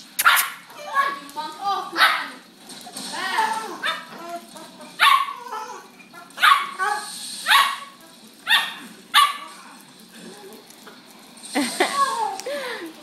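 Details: Two dogs, a pit bull and a Lhasa Apso, at play; repeated high yips and barks in clusters with whining growls between, while people talk and call the dogs over.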